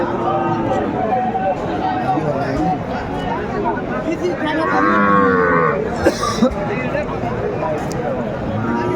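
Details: Sahiwal bull calf for sale at a Chattogram market in Bangladesh, 14 January 2025: a rising, harmonic low about midway, set against constant bargaining talk, crowd murmur and a few sharp knocks.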